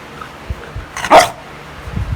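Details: A pet beagle in the Philippines lets out one short, loud bark in an otherwise quiet moment.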